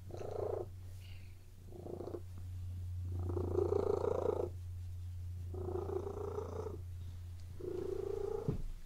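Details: Relaxed domestic cats lying on a bed, purring steadily; the continuous low rumble runs underneath several louder mid-pitched breathy bursts lasting about a second each, rising and falling in intensity.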